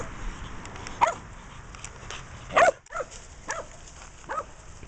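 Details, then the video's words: Missy, a female pet Shetland Sheepdog, overweight and sick, gives short yipping barks, about five in under five seconds, the loudest near the middle, over a low steady background hiss. "Missy the Shetland Sheepdog"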